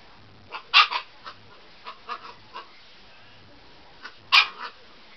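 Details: Fiona, a Siberian Husky puppy playing on a bed before bedtime, lets out sharp high yips and short barks. Two louder bursts come about three and a half seconds apart, with softer yaps scattered between them.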